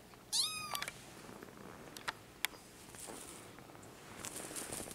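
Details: Male Bengal kitten, five weeks old, Madison, Wisconsin, in September 2015: one short, high, falling meow at the start, followed by light clicks and rustling.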